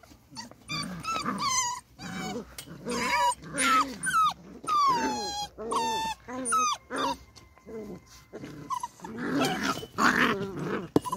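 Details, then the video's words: Several beagle puppies at play in an outdoor enclosure make squeaky whimpers, sliding yelps and rumbling growls, mixed with human voices chatting nearby. "Naughty sweet beagle puppies play outside in their enclosure"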